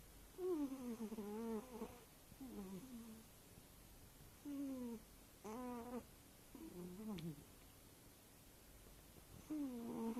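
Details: Sleeping eight-year-old tabby cat indoors giving a wheezy snore: six tonal, harmonic bursts of one to two seconds with wavering pitch, separated by short quiet gaps, in an otherwise quiet room.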